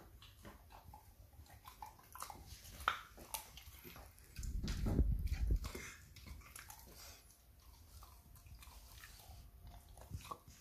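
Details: Rottweiler puppy named Peach chewing her first rib, hiding to keep it to herself; irregular wet biting and crunching clicks indoors, with a louder burst of low chewing thuds midway.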